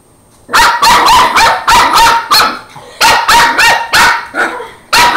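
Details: Border Terrier puppy named Angus barking while fighting a broom indoors: rapid loud barks, about three per second, in two bursts after a short quiet start.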